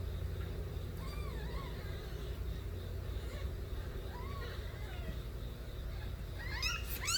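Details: Stray kittens crying loudly, several wavering rising-and-falling meows spaced a few seconds apart, growing louder and higher with overlapping cries near the end, over a steady low rumble.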